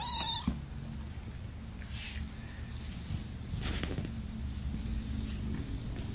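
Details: Kitten from a litter of five, born April 14th, resting in a lap during a May 10, 2018 broadcast: one short, loud, harmonic meow in the opening half-second, then a low steady hum and soft rustling.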